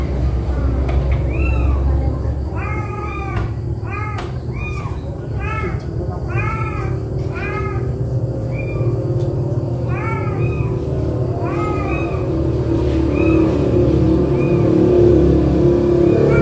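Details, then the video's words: Cat family of a mother and four kittens being moved one by one in her mouth; rapid bursts of short arched meows cluster early on, then thin out, with faint voices and a low background drone. "MAK MEONG MARAH ANAKNYA DIGIGIT"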